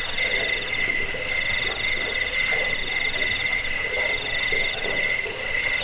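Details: Jangkrik crickets, played to scare rats, help people sleep and teach songbirds: a shrill continuous high trill with a lower pulsing chirp layer, rhythmic bursts a little faster than twice a second.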